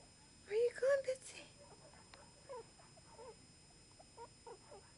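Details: Newborn Chihuahua puppies from a litter of three, two boys and a girl, born to the mother Sweet Pea: two loud, high, arching squeals in quick succession, then a scattered string of fainter short squeaks over the following seconds.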